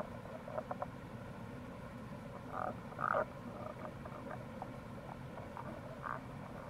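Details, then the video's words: Rana tagoi, Tago's brown frog, in April near a gorge at the Kamo River, Itoshima, Fukuoka, Japan. Clusters of short, muffled croaking notes rise and fade against a loud, rushing stream. "Wild Frog Call | タゴガエル"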